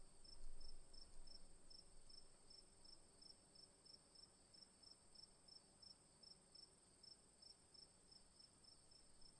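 A cricket gives short, high chirps at a quick, steady pace of several per second.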